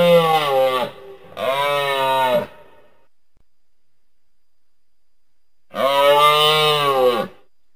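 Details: A moose (Alces alces) gives long, nasal, moaning bellows, two close together and a third after a pause.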